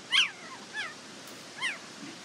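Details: Border Collie pups, offspring of Nell and Skeet, at the International Peace Gardens on 12 August 2018: three distinct high, whining whimpers, each briefly rising then falling, the first loudest, spaced about three quarters of a second apart.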